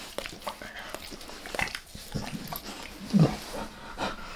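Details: Max the dog licks his owner's face in a close ASMR recording with no talking: soft, wet tongue clicks and smacks in quick irregular bursts, ending in a louder slurp.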